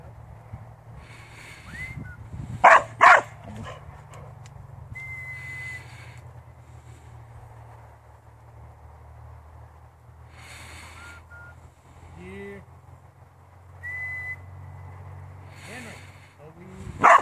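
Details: Farm working Border Collie giving two sharp barks in quick succession near the start and one more at the end, with soft whines and whistle-like tones between them over a steady low hum.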